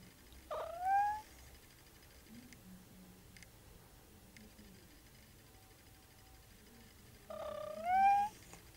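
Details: Sleepy, yawning cat: two short rising meows about seven seconds apart, each sliding upward then ending, with quiet room noise between.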